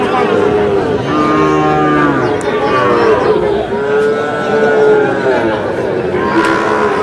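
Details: Repeated lowing from Sahiwal cattle where a Comilla farmer buys a bull calf, 21 February 2026: several moos of about a second each, some overlapping, under constant crowd talk and price bargaining.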